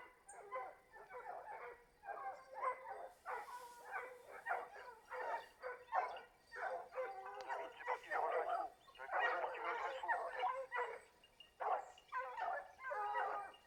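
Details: Hound pack giving tongue on a wild boar chase at Varen, France, 21 November 2020, the boar passing close by. Dense, overlapping baying and yelps from several dogs run almost continuously, with a little wind.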